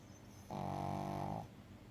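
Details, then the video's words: A dog lying lazily, giving one steady droning snore of about one second, a buzzy low tone with many stacked overtones, in a quiet room. "Lazy snoring dog"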